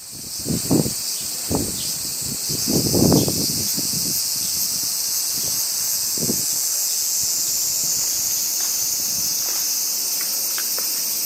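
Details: Crickets in summertime Japan, a dense, steady, high-pitched shimmering trill running unbroken throughout, with bursts of wind and rustling leaves in the first seconds.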